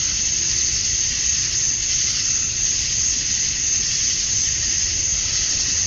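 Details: A wall of shrill buzzing from male cicadas calling for females on a summer night at dusk in Georgia, USA, steady and unbroken with slight rises and falls in loudness.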